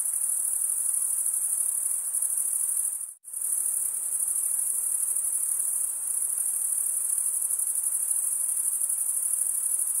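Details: Summer forest crickets chirping at night, a constant high trill that cuts out abruptly for a split second near three seconds, then resumes at full strength.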